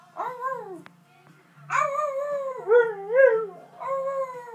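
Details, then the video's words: A jug and a husky howling in unison, with long, wavering, tonal howls that dip and rise, several overlapping, and brief gaps between phrases. "jug and huskey howling together"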